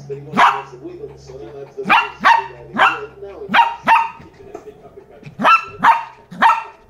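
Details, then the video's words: A Lhasa Apso puppy, reacting to a new toy, barks in sharp, high-pitched bursts, some doubled, spaced about a second apart. "Lhasa apso barking on a new toy"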